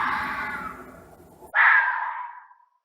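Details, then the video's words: Fox howling and screaming angrily: a rasping cry fades out, then a sharp, strident scream starts abruptly and dies away into silence. "Som de Raposa, Ouça o Barulho de Raposa Uivando, Brava, Gritando (Fox Sound)"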